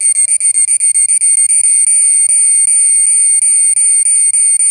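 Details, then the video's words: Cicada, an Indian insect known locally as cheevidu, giving a loud, piercing, tonal buzz with bright overtones, broken by short gaps that come in quick irregular bursts, about four per second. "Who is making noise-Cicada (cheevidu)"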